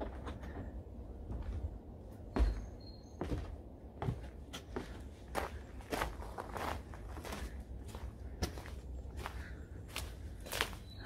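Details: Indoor footsteps, soft thuds and knocks, like a door or cupboard closing, against a low hum, with no clear animal voice.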